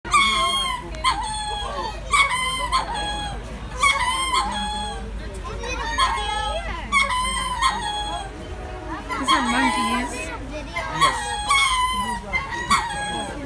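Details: Several captive lemurs at Jacksonville zoo give loud, wailing, harmonic calls. The calls come in overlapping bursts about once a second, rising and falling, over a steady background of visitors talking.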